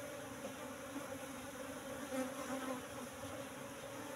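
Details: Asian honey bees (Apis cerana) kept in a cultivation hive box, moved from the forest about three months earlier, humming during a honey harvest; a steady low drone with a clear tone and overtone, faint rustling throughout.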